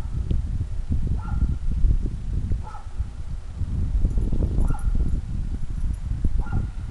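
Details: Whippet named Wasabi, eager for a squirrel, gives short high whines about every one and a half seconds, faint over steady low rumbling noise.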